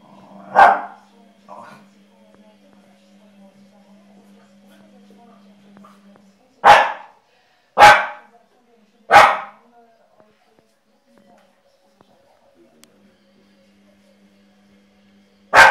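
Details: Energetic, exuberant Jack Russell Terrier giving a sharp single bark, then three quick barks around six to nine seconds and one more at the end, with a steady low hum between them.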